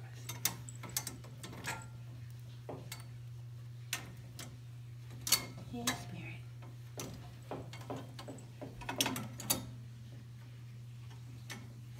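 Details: Scattered knocks and ticking clicks over a constant low electrical hum, with no animal calls.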